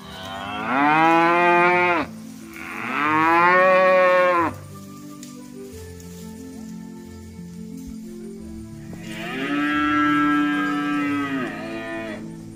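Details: Free-roaming tame cow in a field calling its herd mates to return to the pen; three long, drawn-out moos, the first two back to back, then a pause with faint low background noise before a third sustained, slightly wavering moo.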